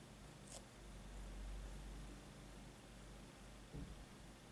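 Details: Domestic cat purring quietly indoors, a low continuous rumbling throb that swells slightly in the middle, with a brief soft rustle early on and a short muffled bump near the end.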